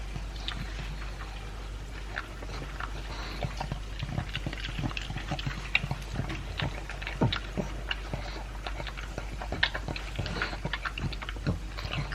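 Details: Elvis, a two-year-old Pug, eats dry food mixed with a chunk of beef meat indoors. Dense crunching and sharp clicking chews follow one another steadily, with soft wet smacking between bites.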